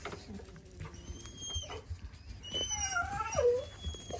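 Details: Four-week-old Dalmatian puppies indoors: thin, high whines drift through, ending in a short squeal that slides downward, over low rumbling and nearby human voices.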